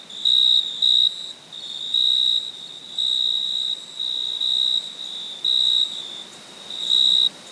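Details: Cricket chirping at night in a less even rhythm: short doubled pulses, then longer held high tones of varying length and loudness, over faint hiss.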